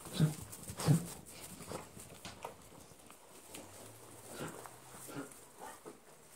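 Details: Central Asian Shepherd (Alabai) puppies in Charlotte, North Carolina; soft, short yelps or whimpers in a loose series, two louder ones near the start and fainter ones roughly every second after, in a quiet indoor setting.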